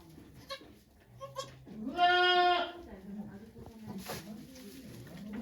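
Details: Goat Okayu at Yoshigake farm, Japan, 3 May 2023, during the birth of two kids; one drawn-out, strongly harmonic bleat in the middle, with people talking softly around it.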